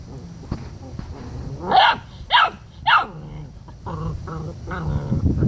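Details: Dominant seven-week-old Rottweiler pup keeping his littermates away from food; three sharp snarling barks in quick succession, then low grumbling growls that build toward the end, amid rustling and scuffling.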